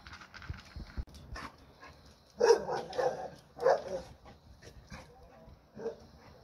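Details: American Pit Bull Terrier barking in a few short, rough bursts around the middle of the recording, with quieter rustling and handling noise before and after.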